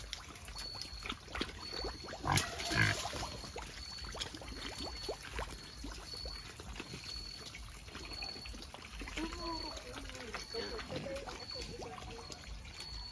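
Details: Native black pig on a free-range farm in Albay, the Philippines: a harsh, loud squealing burst about two seconds in, softer grunts around it, then people talking over a steady thin high tone.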